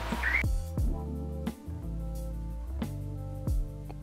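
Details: Gentle instrumental music with plucked notes and sustained low tones, and no animal voice.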